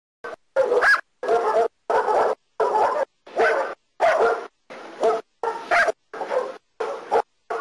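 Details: German Shepherd dog during protection work training in Costa Rica, giving loud, harsh barks in a steady series of about ten over eight seconds, each bark short with brief silent gaps between.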